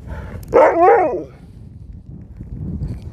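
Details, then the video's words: Sherpa, a pet dog "talking" nonstop to his owners, gives a brief wavering, howl-like vocal sound with rising and falling pitch, lasting under a second, over low background rumble. "This dog wont stop talking!"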